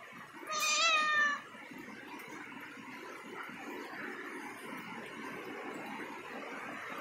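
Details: Cat climbing a ladder gives a single short meow of under a second, bright and harmonic with a slight rise then fall, followed by several seconds of steady indoor background hiss with no further calls.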